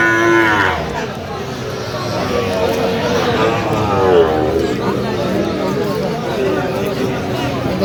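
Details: Sahiwal cattle at a cattle market in Bangladesh: a long, drawn-out low moo with wavering pitch swelling across several seconds, over a busy crowd with men talking and bargaining nearby.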